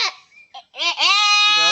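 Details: Goat held by the head during artificial insemination gives a short cry, then a long, strained, even bleat, with brief human voices before it.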